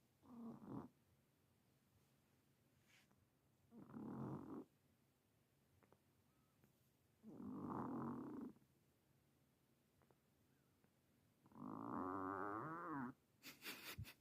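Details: Ten-year-old Himalayan cat, newly adopted, that snores constantly: four harsh, rasping snore breaths about every four seconds, the last one longest and slightly wavering, separated by near silence.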